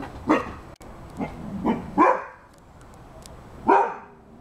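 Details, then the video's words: Eight-month-old Rhodesian Ridgeback barking at a cat and squirrel running along the fence; a burst of four sharp, rough barks in under two seconds, then a pause and one more bark, with background rumble. "Rhodesian Ridgeback 8 months barking"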